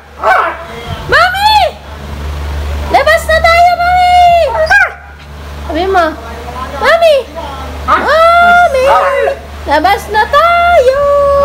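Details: A female Siberian Husky gives a run of drawn-out, bending howl-like 'woo' calls to summon her owner to go out.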